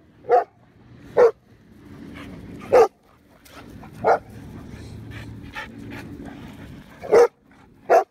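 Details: Black Russian Terrier at a dog park, objecting to a Bandog and a Husky playing together: sharp single barks spaced irregularly, about six in eight seconds, with quieter scuffling and movement between them.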